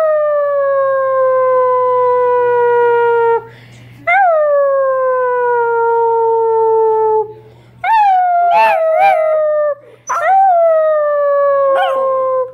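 Basset hound puppies give long, drawn-out howls that slide slowly downward, joined by a human howling along.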